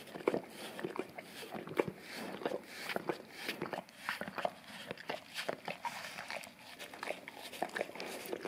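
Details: Indoors on tile, an English cream golden retriever cleans his tongue and breath by licking a brush coated in peanut butter; quick sticky slurps and tongue clicks follow one another steadily, with a brief quieter stretch midway.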